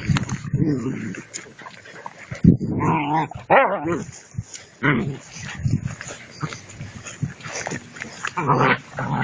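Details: Two-month-old puppies at play with a rag in prey drive training: low growling and scuffles, then wavering high whines that rise and fall near the middle, with Spanish speech mixed in.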